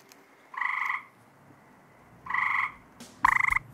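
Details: Loud tree frog calling near a home where no pesticides are sprayed: three pulsed, rattling croaks about half a second long, each with a bright buzzy tone, spaced one to two seconds apart with quiet gaps between.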